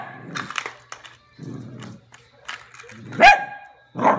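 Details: A Cavalier King Charles spaniel barking at a toy rat gives one loud, sharp bark with a bright ringing tone, then starts another. Softer murmurs and what sounds like speech fill the gaps before the bark.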